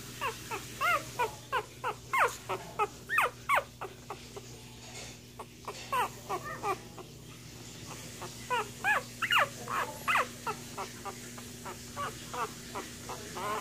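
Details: Cocker Spaniel puppies one week old crying in a long run of short, high squeaks and whines, almost three a second, with a brief lull in the middle before the yelps resume; constant low hum underneath.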